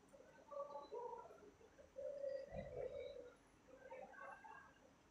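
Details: Cat calling at treat time just after 1 am on 25 October 2023; short tonal mews, then a longer sustained meow, then softer broken calls near the end, with a faint indoor hum behind.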